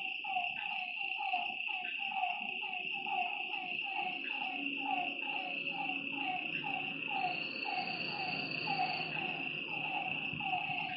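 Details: Frogs by a lake at night: rhythmic falling croaks in a dense chorus, set against a constant shrill insect drone and a low rumbling background.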